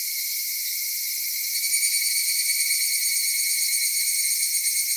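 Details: Summer cicada chorus recorded at Michinoku Folk Village and Kitakami Tenshochi in Kitakami, Japan: a continuous hissing, ringing drone of many insects that grows a little louder and more pulsing halfway through.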